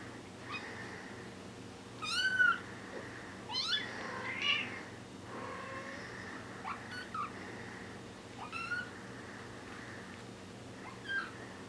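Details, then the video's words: Bengal kittens, four weeks old, give a run of short, high, wavering mews, a few overlapping, spaced one to two seconds apart over a steady low hiss. "bengal kittens 4 weeks old"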